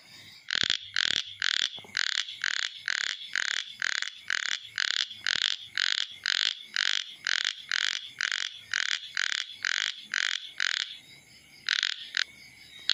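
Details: Chubby frog calling: a long run of short, harsh, buzzy croaks, each about a third of a second, repeated steadily about twice per second for roughly eleven seconds, then a brief pause and a few more croaks.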